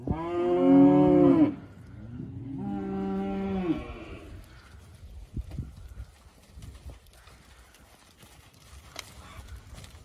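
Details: Hereford steers, 54 head, born March to April: two drawn-out moos, the first loud and arching, the second softer and flatter, then quiet rustling and faint knocks.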